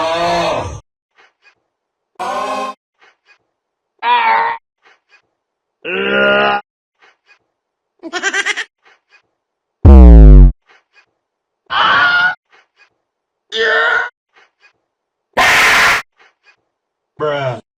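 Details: Cat meowing at a doorbell camera with different sounds: about ten separate calls roughly every two seconds, some low and throaty, others higher and drawn out, a couple harsh and distorted.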